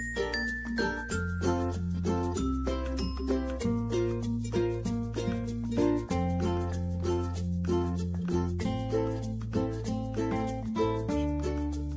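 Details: Bright plucked and chiming instrumental music with a steady bass continues without pause, and no animal calls are heard.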